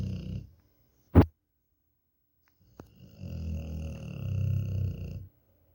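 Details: Dog snoring like an engine indoors: a deep, rumbling low snore builds over about two seconds after a brief sharp knock and a quieter earlier snore fragment.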